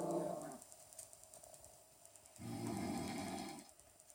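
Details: Maggii, a pet dog who hates snoring, growls at her owner when he snores at home: a short low rumbling growl at the start, then a sustained deeper growl lasting about a second after a quiet pause.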